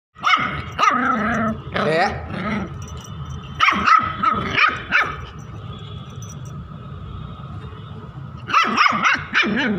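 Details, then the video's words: Indian Spitz puppy one month old, in an angry mood, barking in quick clusters of sharp, high yapping barks separated by pauses of a second or more, with a steady faint hum in the background. "1 month indian spitz in angry mood 😠 indian spitz barking"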